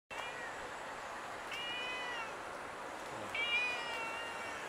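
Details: Fat tuxedo cat meowing indoors for attention, wanting to be petted: two short, clear meows about two seconds apart, the second slightly louder and rising, over a quiet background hiss.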